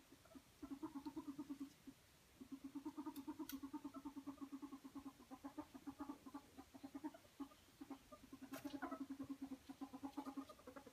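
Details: Ferret at play, wrestling and squeaking with delight: long chuckling runs of fast low pulses, broken by a short pause near two seconds, with occasional sharp clicks and bumps.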